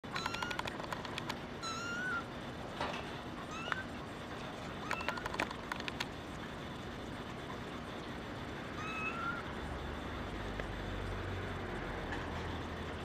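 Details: Brown tabby and white female kitten named Kura, born 28 December 2010, giving thin high meows, short and slightly rising, scattered across the recording at irregular gaps, with faint clicks and a steady low hum underneath.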